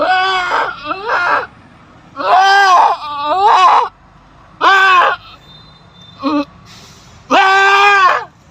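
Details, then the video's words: Goat during birth, bleating loudly in long wavering harmonic cries with a strained, rising-falling quality, several calls in a row separated by short pauses; a faint high steady tone in the background. "PANGLIMANG PANGANGANAK NG KAMBING NAMING ITO"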